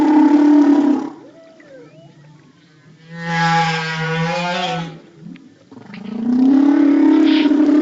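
Humpback whale song: long, droning moans with a rich harmonic tone, separated by brief quieter sweeping notes.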